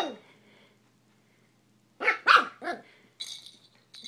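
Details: Playful eight-week-old miniature schnauzer puppy with pink cat toys, a pause then three quick loud yappy barks in a row, followed by a couple of softer bursts.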